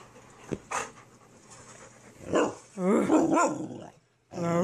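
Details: Young Great Dane wanting attention: one short bark, then loud wavering, drawn-out whines around the third second. A final whine starts near the end after a brief silence, with human speech underneath.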